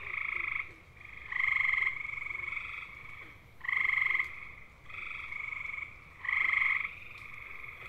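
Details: Gray tree frog (Hyla versicolor) males trilling to attract mates, eastern North America: loud musical bird-like trills about half a second long, repeated every second or so, with a chorus of overlapping fainter trills from other frogs.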